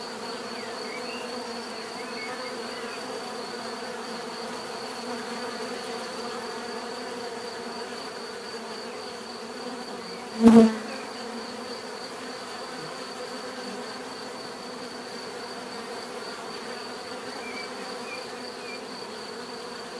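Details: Natural bee buzzing heard as a low, steady drone, interrupted midway by one sharp click or knock that quickly fades, then the hum resumes unchanged.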